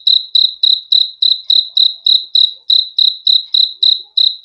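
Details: A cricket chirps in a steady, even rhythm, each short high trilled pulse coming roughly every quarter second against complete quiet, a sleep-aid recording.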